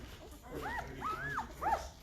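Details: Five-day-old Great Bernese puppies, a Great Pyrenees mother Lacey crossed with Bernese Mountain Dog sire Castle, vocal in the morning: three arched, squealing whimpers rising and falling, the middle one drawn out, over a low room hum.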